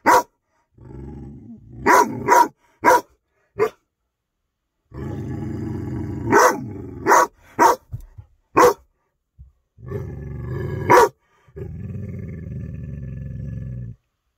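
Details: Young Rhodesian Ridgeback, six months old, guarding his yard against a cat. Bursts of sharp barks, some in quick pairs, alternate with long stretches of low, steady growling over about fourteen seconds.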